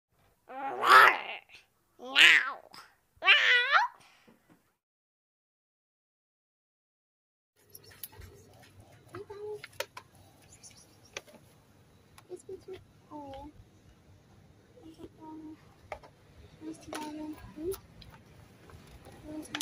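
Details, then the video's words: Friendly stray cat greeting a person, wanting to be petted and fed: three loud, clear meows in quick succession, each rising then falling, followed by silence and then quiet indoor rustling and soft sounds. "Friendly Stray Cat Greeted me with the Cutest Meows and wanted to be petted and fed"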